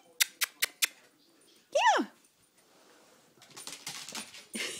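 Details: Dachshund named Jack playing with a toy gives one arching whine-like vocal after a few sharp clicks, while a person encourages it to fetch; rustling and handling noises follow.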